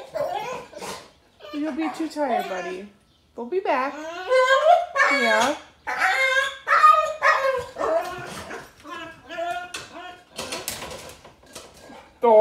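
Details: Thor, a German Shepherd Boxer mix told he can't go for a walk after surgery, whines and screams indoors: long, sliding, harmonic wails and whimpers in repeated bursts, with short barks and people talking.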